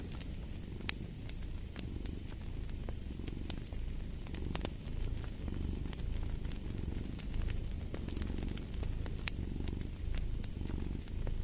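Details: Cat purring steadily, a deep rumbling rhythm of soft rising and falling pulses, overlaid with scattered pops and crackles of a burning fire for sleep and relaxation.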